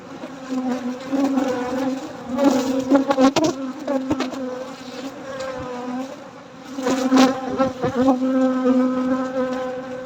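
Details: Honey bees buzzing at night during a honey harvest: a steady, low droning hum with overtones, swelling and fading, broken by sharp knocks and clatters of handling around three and seven seconds.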